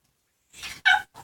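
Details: Ringo, a chihuahua x pug, and Bogart, a pug cross, at play making odd noises: a breathy rising huff followed by a sharp, strained whimpering yelp and a short soft trailing note.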